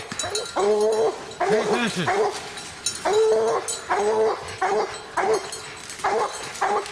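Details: Young hunting dogs in the evening baying at quarry they have treed, with a 14-year-old dog along; loud, harmonic bawling barks come in bursts of two to three, repeated about every second, rising and falling in pitch.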